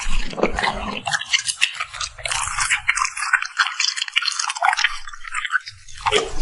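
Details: Puppy smacking its lips while eating: dense, wet, crackly clicks and smacks run through the whole stretch, with low soft chewing thumps at the start and again near the end, recorded close up in a quiet room.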